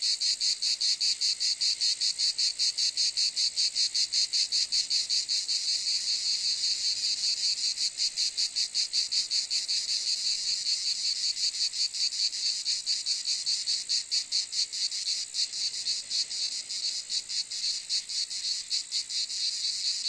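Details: Cicadas produce a continuous shrill, sizzling drone, rapidly pulsed around two and a half beats per second, with the throb growing slightly rougher and less even toward the end of twenty seconds.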